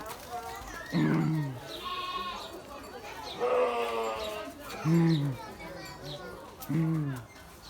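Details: Sheep bleating amid people talking: several short wavering bleats around one, five and seven seconds, with human voices in between.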